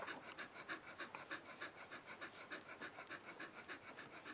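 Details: Litter of Mattie and Bodie puppies at three days old: steady, even panting, a little over three soft huffs per second, sustained without pause in a small quiet room.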